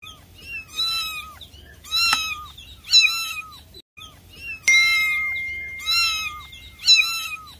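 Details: Kitten meowing loudly, asking for help: a run of loud, drawn-out, harmonic-rich meows, each bending up then sliding down, repeated roughly every second with short quiet gaps and a couple of sharp clicks.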